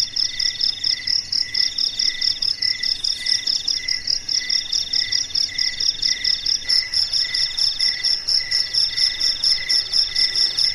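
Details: Crickets calling in the calm of a dark night, producing overlapping shrill pulsed chirps at a steady rate of about two per second; one higher voice joins partway through, background otherwise quiet.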